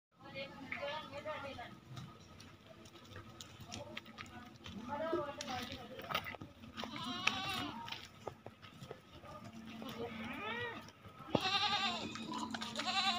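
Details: Female Barbari goats on a farm in Ajmer give wavering, nasal bleats with strong vibrato, loudest near the end, amid steady human talking and background farm noise.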